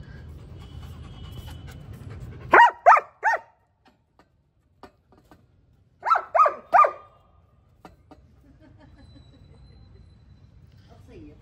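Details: German Shepherd named Annie giving two bursts of three rapid barks each, separated by a few seconds of quiet, with low rumble before and faint sounds after.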